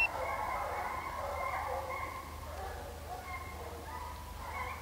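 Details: Hunting hounds of HomeGrown Kennels chasing deer during a hunt at St Helena, South Carolina; a distant pack bays continuously, with overlapping mid-pitched howls and yelps blending into a steady chorus.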